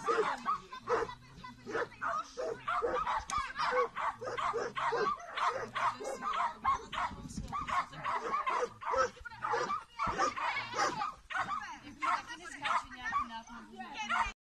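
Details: A Bracco Italiano at an agility camp in Celnice in June 2019 gives repeated short, yipping barks amid a busy, echoing mix of other dogs' barks and people's voices.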